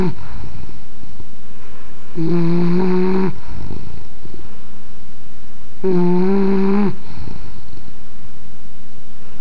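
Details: Loud rhythmic snoring from an English bulldog: two drawn-out droning snores, each about a second long and nearly four seconds apart, with soft wheezy breaths in between.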